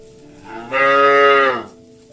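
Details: Cattle moving through mud and calling their companions back to the barn, one loud sustained moo lasting about a second, rich and level in pitch, rising from and sinking back to a quiet background hum.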